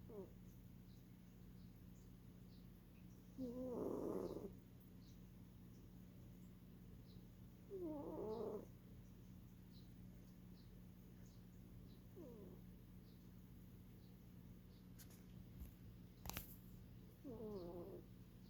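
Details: Norwegian Forest Cat asleep and snoring, with rasping wavering breaths recurring roughly every four seconds, fading on the later ones, plus a single sharp click near the end against a constant low background hum.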